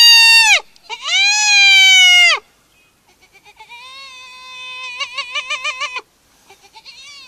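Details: Spotted hyena calling: two loud, long, bleating wails with a slight downward bend, then a softer sustained tone broken into a quick wavering, giggle-like series of pulses, and a faint trailing note.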